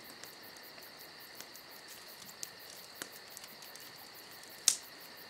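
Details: Crickets trill steadily and high on a summer night next to a crackling fire, with scattered light ticks from the flames and one loud pop late in the clip.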